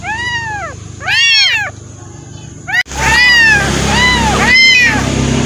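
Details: Two abandoned kittens, thrown away and taken in, one waiting to be fed milk: loud arching meows with rich harmonics, three distinct cries spaced about a second apart, with a faint voice and low background hum.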